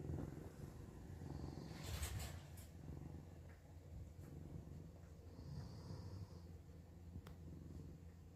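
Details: Domestic cat purring in a steady, deep continuous rumble alongside a snoring companion, with brief rustles and a soft hiss partway through.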